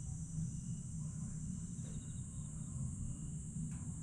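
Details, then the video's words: Night chorus of grass insects at Aewol on Jeju, 22 July 2022, after sunset: a continuous piercing hiss-like drone, faint pulsed trills, and a heavy low rumble throughout. "천개의 달과 풀벌레 소리"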